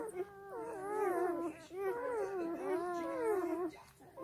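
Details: Nursing black German Shepherd puppies feeding off their dozing mother: overlapping sliding whimpers and squeals, pitch wobbling up and down, in two main bursts with a short quiet gap between and fading near the end.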